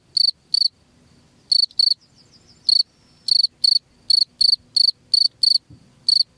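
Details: Cricket chirps offered as a rat deterrent: bright high chirps in uneven runs, paired bursts separated by pauses of up to a second, later a steadier series, soft low hum underneath.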